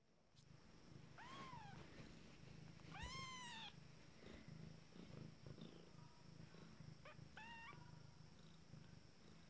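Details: Abyssinian kittens, 14 days old, from a first litter just starting to walk, give two clear rising-falling harmonic mews, then a few short high squeaks, over a steady low purring rumble.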